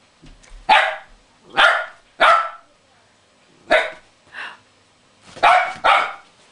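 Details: During play with a cuddly toy whale, a West Highland White Terrier lets out sharp barks at uneven intervals, seven in about six seconds, some single and some in quick pairs.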